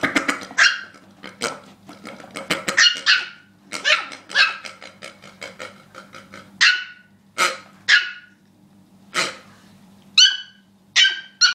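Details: Worked-up pet dog that does not like a pig, barking almost nonstop: rapid, harsh, irregular barks, some in dense clusters and others spaced about a second apart, with faint voices in the background.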